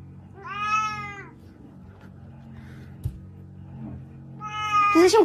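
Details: Domestic cat meowing twice, each a drawn-out, slightly falling, tonal meow with a rich harmonic sound, the second more strained and ending in a brief harsh squeak; faint low background hum between the calls.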